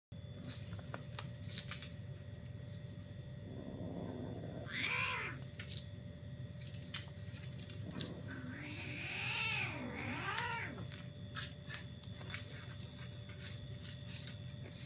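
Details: Two 5-month-old Egyptian Mau kitten sisters give short, wavering mews and squeaks while play-fighting, baring teeth in semi-rough play, amid scuffling and clicks.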